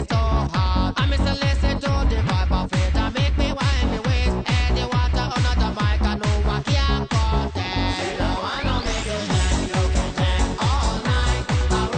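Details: Pounding techno beat with electronic synth sweeps plays throughout, and no animal sounds are heard.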